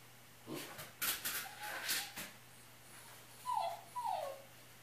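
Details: Pet dog left alone indoors in a small room, giving two short falling whimpers near the end after a person says to stay and be good; earlier, louder speech-like noises.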